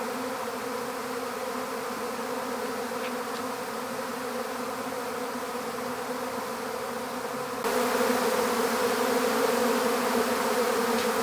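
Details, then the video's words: Honeybee swarm being captured into an empty hive: a dense, steady droning hum with layered bands, growing louder and brighter after about seven and a half seconds. "How to Capture a Honeybee Swarm"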